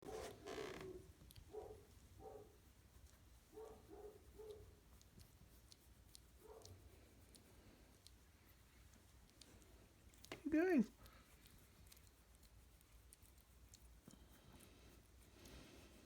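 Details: Shiba Inu puppies, two and a half weeks old and just starting to play, give soft short whimpers in a quick series over the first seven seconds, then one louder rising squeal, in a quiet indoor room.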